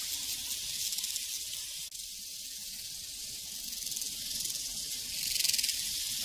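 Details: Prairie crickets form a continuous high, hiss-like trilling chorus that swells slightly toward the end. A brief soft knock interrupts it near the two-second mark.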